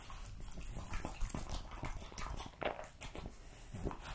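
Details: Indoor French Bulldog eating a meat meal of lamb cutlets, beef schnitzel and pulled pork, giving steady moist chewing and smacking with short crunchy clicks throughout.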